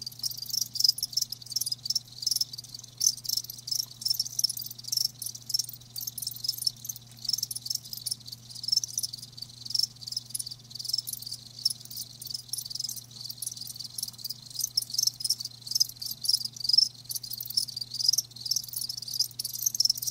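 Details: High-pitched trilling from live crickets, pulses bunching into brighter bursts every second or so over a quiet low electrical hum.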